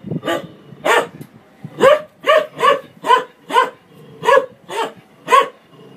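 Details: Barking dog confronting a washing machine: ten punchy, ringing barks in a rapid, fairly steady series about every half second, a low drone of the appliance beneath.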